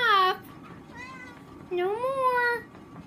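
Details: Indoor Oriental cat meowing: a short bright cry, then a soft brief mew, then a longer drawn-out meow that rises and gently falls. The room is otherwise quiet.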